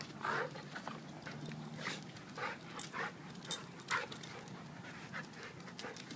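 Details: Play-wrestling match between Duke, a 7-year-old blue/red pitbull, and Lucy, a young 7-month-old German Shepherd. A low rumbling growl comes early, then choppy bursts of rough vocal noise and scuffling recur roughly every half second.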